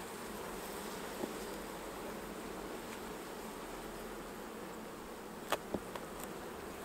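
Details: Busy honey bee hive opened during a honey harvest, the super being removed and empty frames given to refill; a thick, continuous droning buzz of many bees fills the clip, with a couple of brief taps near the end.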